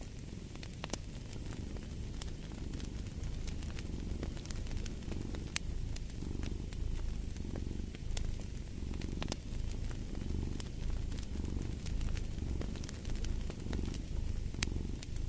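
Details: Cat's low purr throbs steadily, rising and falling about once a second with each breath, beneath frequent snapping fireplace crackles and a soft fire hiss.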